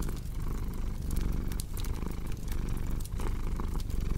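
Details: Cat purr paired with a cozy fireplace: a deep continuous rumble that pulses with inhale and exhale roughly every second, with bright snapping crackles from the fire scattered throughout.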